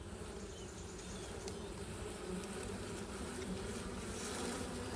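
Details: Honey bees humming during a honey harvest, a quiet continuous drone that holds even and unbroken throughout, with a faint hiss in the background.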